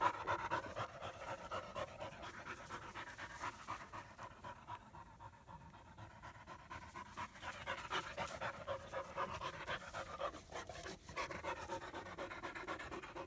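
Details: ['Two German Shepherd puppies, a female born August 2016 and half-brother Psycho, in Florida during their first play session; soft rapid panting, strongest at start and end, fading quieter through the middle.']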